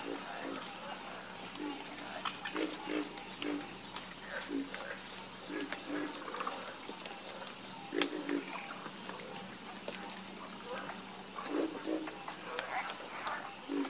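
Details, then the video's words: A frog chorus of repeated short, low, guttural croaks from several animals, closely spaced and overlapping, with one sharp louder note around the middle and a continuous high whine behind. "Calming Sound Of Harmonious Frog Croaking"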